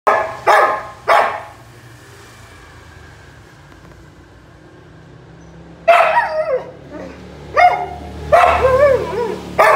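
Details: Samoyed barking: two sharp barks, a long quiet pause, then a run of higher, yelping barks with wavering tone near the end.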